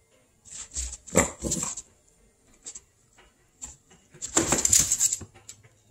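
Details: Cocoa, a small dog, meeting a squirrel: a few sharp, noisy barks near the start, then a louder cluster of rough, hissing yaps toward the end, with quiet gaps between.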